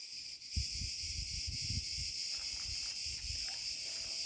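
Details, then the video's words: Cicada cretensis singing after sunset in an olive grove at 34C: a dense, continuous high-pitched buzz that holds steady throughout, over soft footstep thumps and rustling from a walk. "natural sound of Cicada cretensis"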